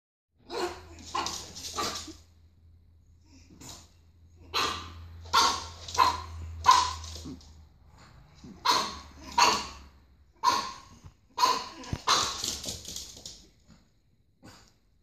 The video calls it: Pug puppy barking